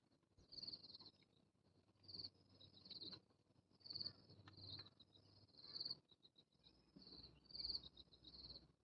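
High, shrill buzzes from a cicada come in pulsing bursts of roughly a second, with brief gaps between them. A low rumble of background noise runs underneath.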